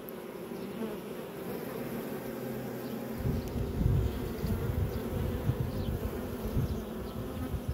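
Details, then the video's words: Honey bees making honey at the hive: a dense buzzing drone that grows noticeably louder and rougher partway through as bees fly near. "Bees making Honey"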